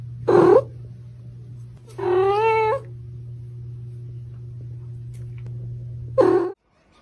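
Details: Domestic kitten, a baby cat, giving three short harmonic meows: a brief one near the start, a longer rising-falling cry at two seconds, and a final short meow at six seconds, over a steady low hum indoors.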